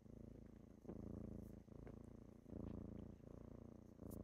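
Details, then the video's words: Morning purring from kittens waking someone up: deep, continuous rumble pulsing with each breath, swelling roughly every second, with faint light taps in the background. "Morning with kittens"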